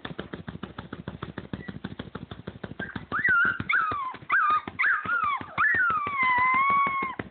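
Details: Siberian Husky pups at 28 days old, rapid patter and scratching throughout, then a young pup breaks into wavering high yips and a rising-falling little howl that bends up and down in the second half.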